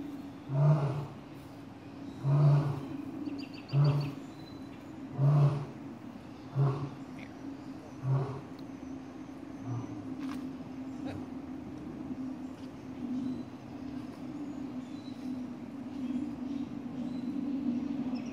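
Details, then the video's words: A blonde male lion at the Atlanta Zoo, out of sight behind rocks, gives a series of deep, grunting roars that fade and slow over a steady engine-like hum, on a day the lions were very vocal and playful. "Atlanta Zoo Lion Roar"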